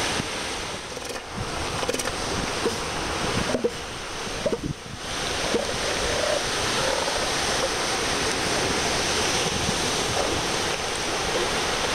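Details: Steady ocean surf and gusting wind at Piedras Blancas beach in July 2012, with microphone wind buffeting and brief dips in the roar. No animal calls stand out.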